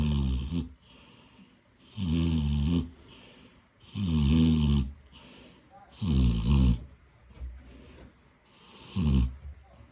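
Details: Sleeping piglet in Odesa snoring steadily: deep, rumbling snores with a whistling overtone, five long bursts about every two seconds, quiet breaths between.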